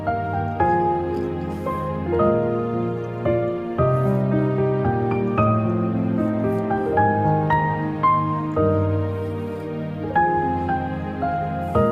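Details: Soft, tender new-age music plays throughout, steady piano-like notes with no animal sound.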